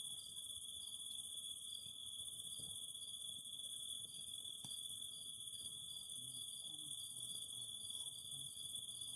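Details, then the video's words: Steady high cicada drone with recurring short pulsed bursts, the singing never pausing, while a campfire crackles quietly below and gives one sharp pop midway. "the Singing of Cicadas"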